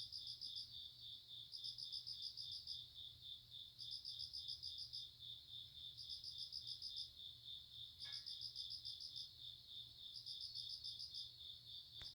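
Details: ['Grass insects calling: a steady piercing high trill with regularly spaced bursts of rapid pulsed chirps about every two seconds, a faint low hum, and a brief click near the end.']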